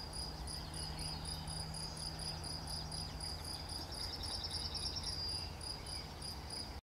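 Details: Cricket recorded on 11 June 2020, giving a continuous train of brief high-pitched chirps, roughly four each second and evenly spaced, over a quiet low rumble. The clip ends in abrupt silence.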